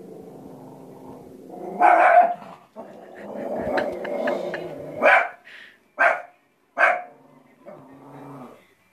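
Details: Cristal, a female shih tzu kept indoors at home and restless from staying inside, growls low and steadily, then lets out four short sharp barks spaced about a second apart, with brief pauses between them.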